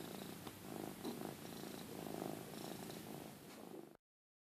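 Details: Domestic cat purring strongly as a companion cat grooms it indoors; continuous close rumbling purr with rapid regular pulses for about four seconds, then sudden silence.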